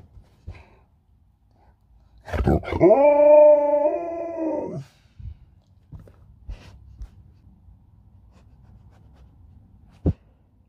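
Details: Pet Alaskan Malamute indoors, fiddling with a phone, gives a steady, drawn-out harmonic howl of about two and a half seconds that holds one pitch and then drops at the end. Quiet room, a faint click afterwards.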